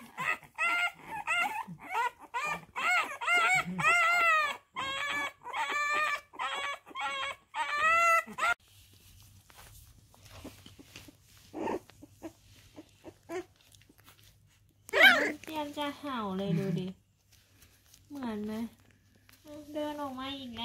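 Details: French Bulldog puppy giving a rapid run of high, wavering squeals roughly every half second for about eight seconds, then quieter gaps broken by a few longer, rising whines, with Thai speech nearby.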